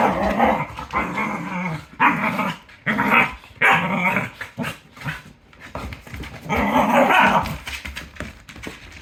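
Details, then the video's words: Cardigan Welsh Corgi playing with another dog, making fierce, dramatic growling and snarling in repeated harsh bursts of about a second, broken by brief pauses; described as all bark and no bite. "She makes sound like murder."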